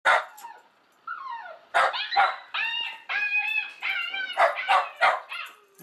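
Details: A Shiba Inu barks at another Shiba Inu on a video playing on screen, giving sharp barks mixed with drawn-out, wavering, yodel-like howls.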